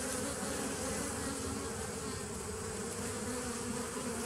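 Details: Steady humming of bees in a 2017 nucleus colony, 27 September 2018. A loud, even drone holds level throughout, with a clear low tone and a busy crackling buzz above it.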